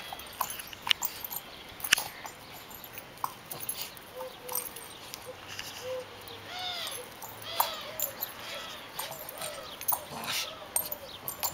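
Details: Female Border Terrier, a good-natured pet, playing ball, gives high, thin whimpering whines that arch up and down, repeated in short bursts through the second half, between sharp knocks and clicks of play.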